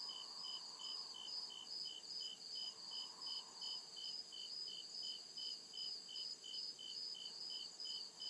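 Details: Night-time cricket chorus from deep forest: shrill, evenly pulsed chirps around two to three per second over a continuous high whine, with brief low murmuring swells in the first half.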